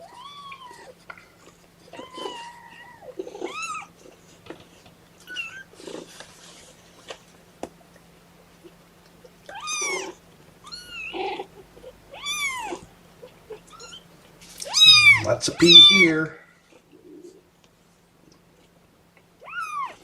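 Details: Kittens of the mother cat Seraphina, a litter of four, objecting to being pottied before their weigh-in indoors: a run of high, arched, wavering meows, some short and some drawn out, with a louder overlapping burst of protest near the end.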